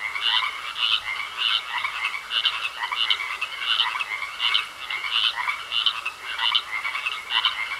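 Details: Frogs croaking in a pond: a dense chorus of raspy, mid-pitched croaks about twice a second, several callers overlapping over a steady thin hiss.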